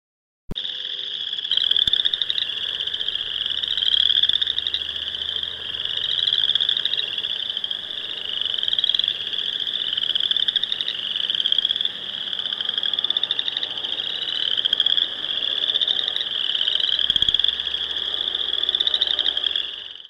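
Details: Boreal chorus frogs (Pseudacris maculata) in Wisconsin give rapid, rising, creaky trills, many voices overlapping into a steady high chorus.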